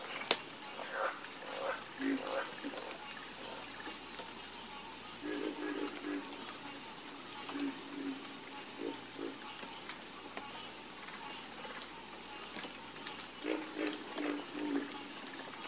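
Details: A chorus of frogs gives intermittent low croaks in short bursts, with quieter gaps between them, set against a continuous high-pitched insect background.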